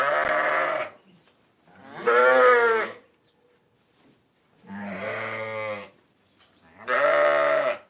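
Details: Repeated sheep bleats: four quavering, nasal calls of about a second each, separated by short pauses.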